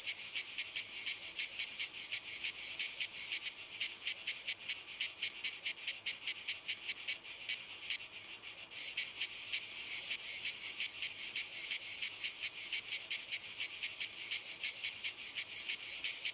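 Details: Several cicadas chorusing on walnut trees, a dense high-pitched rasping drone broken into rapid, closely spaced pulses throughout, unbroken and even in loudness.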